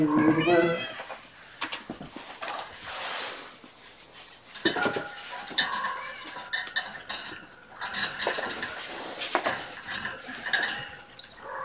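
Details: Kittens from Gamora's five-kitten Infinity litter, born April 14, at afternoon play time indoors with their mother: a short, high, rising meow opens, then busy clattering and rustling of toys and dishes fills the room.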